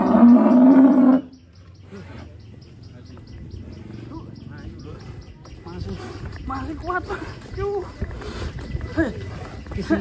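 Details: Huge black champion contest bull gives one loud, deep, harmonic bellow lasting about a second. Afterwards only quieter voices of people talking about its strength and some rustling remain.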